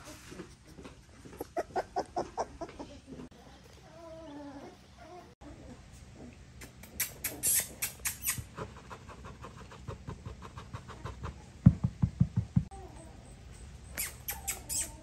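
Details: American Staffordshire Terrier puppies, born 27 June 2023 in Hazel Green, Alabama: brief high, wavering whimpering squeaks near the middle, set among rapid repeated clicking and tapping noises and low background rumble.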